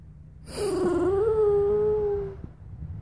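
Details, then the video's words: Pet Bichon Frise Luna whining in a long, steady, nasal tone that rises slightly at first and then holds level for nearly two seconds before fading, with rich overtones and a low hum underneath. "BICHON LUNA CALL"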